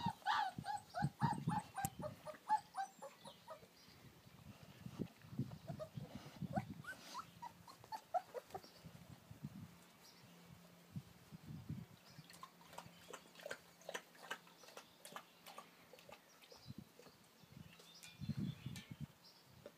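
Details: American Akita puppies at play outdoors in their garden area. A flurry of high whining yips opens the scene, followed by scattered soft growls and grunts. Quieter stretches with faint rustling and thumps fill the later part.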